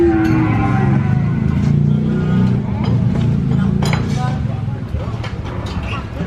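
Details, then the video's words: Cattle lowing in a short, drawn-out moo that slides slightly downward, followed by rougher low calls, over a steady rumble of traffic or engine noise and faint background voices. "COW SOUND EFFECT"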